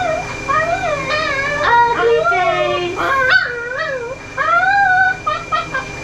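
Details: Ollie, a vocal dog, being brushed at a mobile grooming salon in Oklahoma, USA, makes warbling, yodel-like whines that rise and fall in quick bends, some short and yelping, over light background music.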